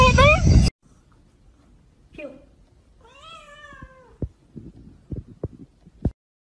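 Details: A cat gives a single drawn-out meow that rises and falls, after a loud burst of human voice at the start, followed by knocks and clicks.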